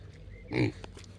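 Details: Black Parma pig, a docile breed raised at Antica Corte Pallavicina in Polesine Parmense, Italy, gives one short, low grunt with layered harmonics, lasting about a fifth of a second over a steady low background hum.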